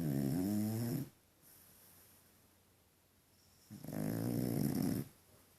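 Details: Snoring French Bulldog Deni, funny to hear: a deep rattling snore fades out, a quiet breathing gap follows, then another long buzzing snore of about a second and a half.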